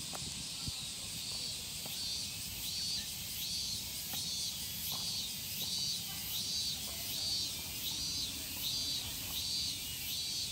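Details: Evening cicada (Tanna japonensis) in Japan: a shrill, high-pitched buzzing chorus pulsing in steady beats about 80 times a minute, with a fainter pulsing layer above it and a low rumble beneath.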